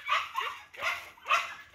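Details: A big-bellied dog on the way home gives three short, bright barking yips, spaced roughly half a second apart, each a sharp burst that fades quickly, with only a faint low rumble underneath.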